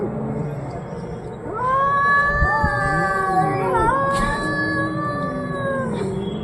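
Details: Cats arguing, giving long drawn-out wavering yowls, rich and tonal, swelling after a quieter start and bending up and down in pitch for several seconds.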